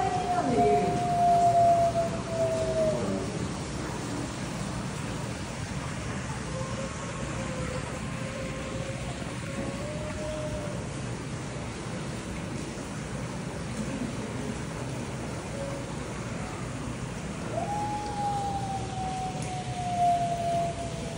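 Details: Arctic wolf Shinra at Nasu Animal Kingdom, Japan, on 16 August 2024, howling back and forth with Sanna, who is in a room; long drawn, level or gently falling tones, several separate howls, over a steady broad hum.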